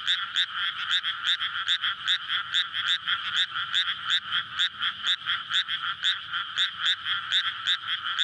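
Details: Frog chorus at night in May from a flooded rice paddy before planting, surrounded by housing beside a road, frogs courting to breed, recorded on a SONY PCM-D100: dense overlapping croaks pulsing rapidly and steadily, bright and loud throughout.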